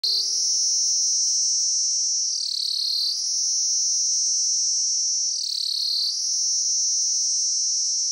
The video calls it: Cicadas sound